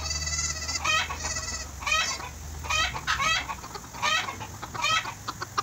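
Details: Affectionate young goat kid being bottle-fed by an overseas worker in Bahrain; quick wavering, tremolo bleats repeated about once a second, each short and bright with stacked overtones, with low background hum.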